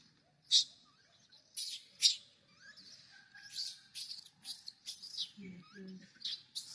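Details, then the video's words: Little monkey crying and making noise while wanting milk: sharp, harsh high-pitched squeals in uneven bursts, some with thin whistled tones, plus a couple of faint low grunts near the end. "The little monkey is addicted to milk, crying and making noise."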